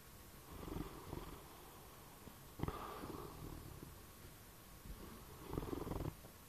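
A bloodhound snoring in low, rumbling breaths, each one a rough drawn-out rattle.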